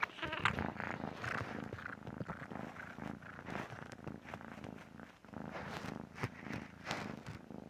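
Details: Sleeping pet cat snoring: a soft, continuous rasping rumble carried by steady rhythmic breathing pulses throughout, with no other clear sounds.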